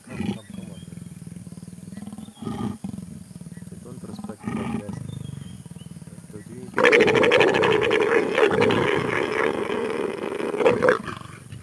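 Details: Leopards mating: after about seven seconds of quiet rumbling and soft human voices, a sudden loud, harsh, rasping growl-roar bursts in and continues to the end, with a rough pulsing texture and a final louder snarl.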